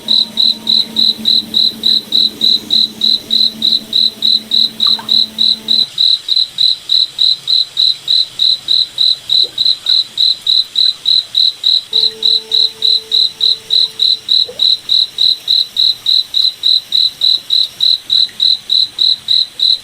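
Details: Rhythmic high-pitched chirps from a cricket in a forest at night, evenly spaced at roughly three and a half per second, with soft low humming tones audible during the first few seconds and again later.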